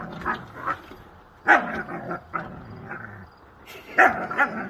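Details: Two Siberian Huskies playing rough, brief sharp barks and growly yips in separate bursts about every second, a person's voice faint between them.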